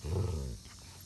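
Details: A low, rumbling dog growl, brief and muffled, just before Odin is scolded with 'No, Odin, no!'. Samson is 5 months old and Odin 5 years old.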